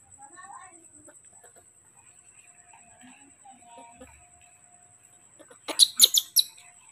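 A newborn monkey gives a short run of shrill, piercing screams, calling to be fed milk.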